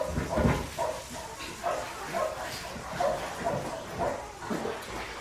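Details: Five-week-old Australian Shepherd puppies from an Oklahoma breeding farm, litter of Priscilla, giving short yips and whimpering barks in a steady run, about two per second, with soft low thumps and a little background noise.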